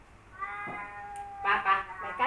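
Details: Two rival male cats, Kaopat and Ronja, growl a steady droning tone that breaks into loud, rapid, choppy yowls near the end.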